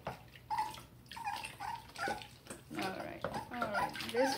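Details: Dachshund puppy Murphy whimpering through a bath in Tampa, Florida, July 20, 2020: thin, high, whining cries in short bursts, several in a row, under a person's soothing voice and splashing bathwater.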